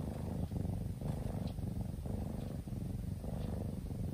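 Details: Kitten in deep sleep purrs in a low, grainy hum, broken into short breath-paced segments about half a second apart.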